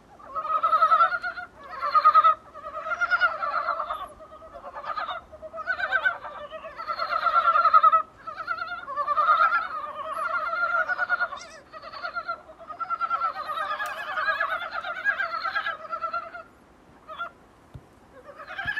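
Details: Dybowski's brown frogs croaking outside a small room's window, many clucking, pulsed calls running together loudly at first, then thinning into sparser bursts toward the end.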